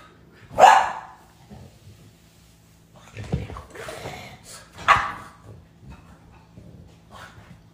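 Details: Female pet dog, annoyed by her brother, gives two sharp, loud barks about four seconds apart, with quieter shuffling and a person's voice nearby.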